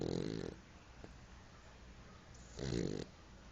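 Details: French Bulldog snoring: two short, rasping snorts about half a second long, the first at the start and the second after a quiet pause of two seconds.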